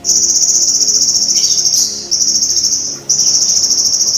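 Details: High continuous insect trill of the golden grasshopper (belalang emas), a training recording for songbirds: a dense, sizzling pulsed buzz interrupted only by two very short breaks.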